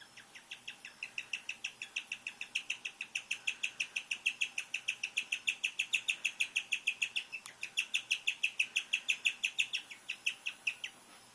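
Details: Domestic guinea pig giving odd, bird-like vocalizations: an unbroken series of sharp high chirps repeated roughly three times per second, steady in pitch, with a brief pause near the middle.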